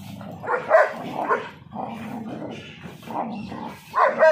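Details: Mother dog in India teaching her pup to fight: a run of short, rough barks and growls repeats about every half second, with louder yelping bursts at the start and end and low snarling throughout.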